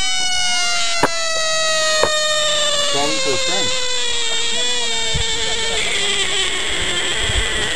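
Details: Caught frog holding one long, unbroken scream for nearly eight seconds, the pitch sliding slowly downward, broken by a couple of sharp clicks and some background voices.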